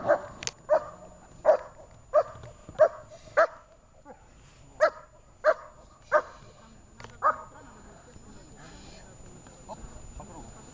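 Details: Shepherd dog in training, Horlivka, 6 June 2021: about ten sharp, loud barks spaced half a second to a second apart over seven seconds, then quieter background with faint voices.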